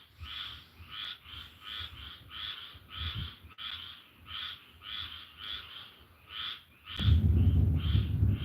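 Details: Frogs calling around a home out in the woods during a thunderstorm, tonight: a steady chorus of short, two-toned croaks repeating about every half second, with a loud rumble of thunder breaking in near the end.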